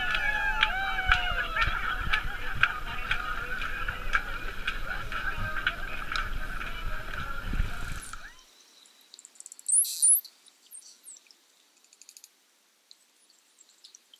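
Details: Underwater in Bimini, Bahamas, in June, wild Bottlenose and Atlantic spotted dolphins at play in the tide line exchange a dense chorus of curving, wavering whistles and clicks for about eight seconds, then near silence broken by a few brief high chirps.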